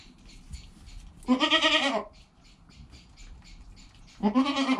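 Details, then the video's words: Goat kid Joel in the first hour of his life beside mother Penny, recorded by GoPro; two quavering, nasal bleats about three seconds apart over low background shuffling. "Baby Goat - One Hour Sound and Video"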